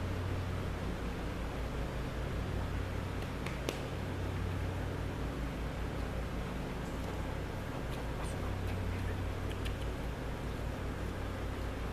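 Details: Steady low hum and broadband noise with occasional faint clicks; no animal voice is heard.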